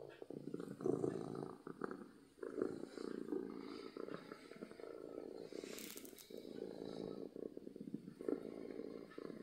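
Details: Domestic cat purring from happiness: a rough, low vibrating rumble rising and falling with each breath, plus a brief hissing rustle near the middle.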